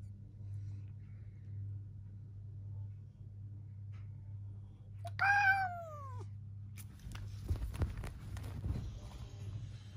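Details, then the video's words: Pet cat fighting with its owner gives a single loud meow that falls in pitch. Thumps and rustling follow, with a steady low hum throughout. "Me And My Cat Big Fight"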